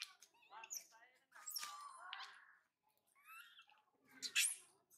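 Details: Spoiled baby monkey Mila cries because her mother Malika has gone far for food, and her brother Marto rejects her plea for help. Shrill, harmonic squeals and wavering cries come in bursts separated by short silent gaps.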